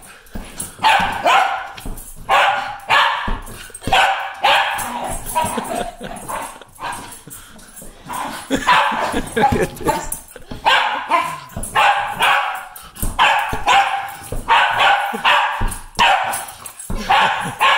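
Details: Welsh Terrier playing an energetic ball game, barking in loud, clipped bursts grouped two or three at a time, recurring through the recording; a person's voice is faintly heard among the barks.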